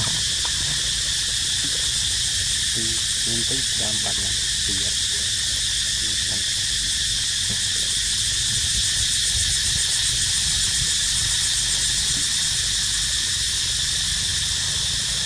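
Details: Cicadas singing near a baby monkey named Dito: a loud, unbroken, high-pitched buzz with a finely pulsed texture fills the whole stretch, with a few faint low knocks and murmurs in the middle.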